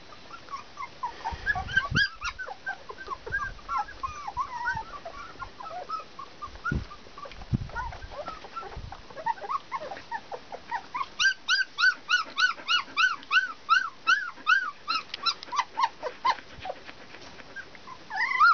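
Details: Litter of 19-day-old Border Collie puppies: many short, high squeaky whimpers rising and falling, overlapping at first, then a fast, fairly regular run of yelps about three per second, with soft rustling of bodies.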